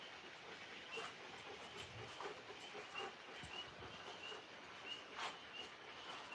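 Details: Tree frogs call together at night outdoors in a continuous high-pitched chorus, pulsed trills overlapping, while two Alaskan Malamutes play rough, shuffling and snuffing close by, and a man's voice breaks in.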